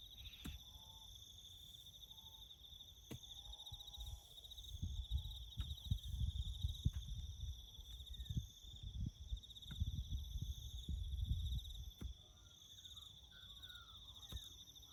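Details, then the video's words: Crickets chirping in the bush during farm work building a road: steady high pulsing trill with a fainter higher band throughout, over low rumbling thuds and bursts of work noise, with a few faint bird notes. "#crickets chirping"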